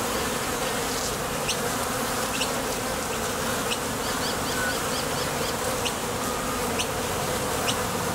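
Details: Constant hum of honey bees flying in and out of a Top Bar Hive entrance on nectar trips, made by their thoracic muscles. Short bright ticks recur above the drone, with a quick run of small chirps midway.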